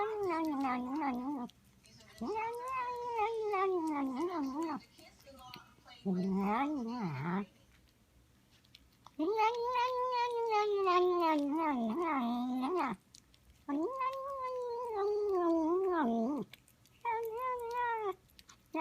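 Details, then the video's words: Domestic female cat vocalizing while eating indoors: long drawn, wavering moaning calls of two to four seconds each, six bouts separated by brief pauses, some rising and falling in pitch. "My cat makes noises when she eats"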